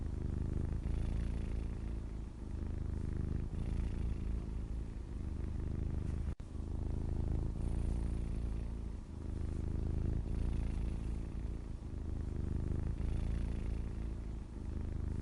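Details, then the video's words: A grey male house cat purrs continuously, a deep buzzing rumble that swells and fades with each breath cycle, plus one sharp click midway; nothing else audible. "Just a grey cat and purring"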